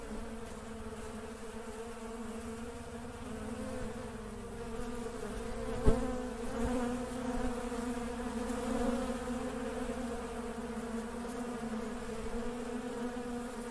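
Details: Working honey bees producing a continuous low hum of many wings, layered tones holding steady, with a sharp tap near the middle and a brief rise in intensity afterward.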